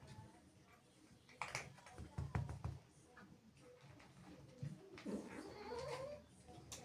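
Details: Angry female house cat, jealous of playful kittens that have sneaked into the house, gives a wavering, rising yowl near the end after some thumps and clatter indoors, with faint voices in the background.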